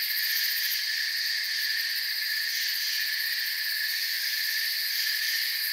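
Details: Forest crickets trilling together in a continuous high-pitched wash, several shrill tones stacked and steady for the whole stretch, with a faint fast pulsing at the very top.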